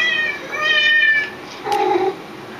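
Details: House cat meowing along to other cats' meows; one bright two-part meow in the first second, followed by a short lower nasal sound.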